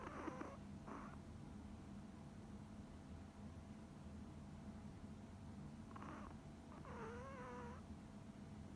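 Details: Coconut, a tiny deaf female Pomeranian, snoring in her sleep: a quiet, steady low rumble with a few soft breathy bursts, then a brief squeaky, wavering whine near the end.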